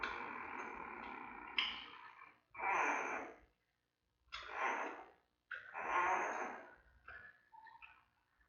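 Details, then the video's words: Giant panda newborn, around day 22 or 23, vocalizing in the den at the Smithsonian's National Zoo panda cam while mother Mei moves about: a run of separate hoarse squawks, each roughly a second long, with short pauses. "Baby Making Sounds"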